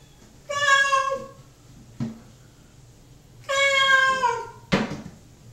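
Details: Hungry male pet cat waiting in the bathroom for dinner, separated from a second cat in the kitchen, utters two long, wailing meows that sag in pitch at the end. Short knocks and bumps fall between them.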